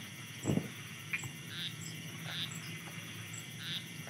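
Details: Frogs croaking at night in Thailand: soft, short croaks recurring roughly every second over a steady high insect ticking, with a single low thump near the start and a quiet rural night background.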